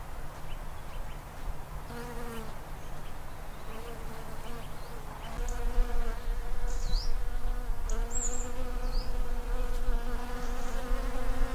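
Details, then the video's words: Honey bees foraging on Daphne bholua flowers in a garden in late winter, early February, near their hives; a steady droning hum with wavering harmonic bands, plus brief high bird chirps in the background. "Honey bees on Daphne bholua shrubs"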